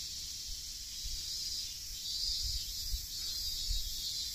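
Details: A steady, high shrilling hiss of cicadas calling from trees along a coastal nature path fills the air on a hot day in late August, a continuous summer chorus.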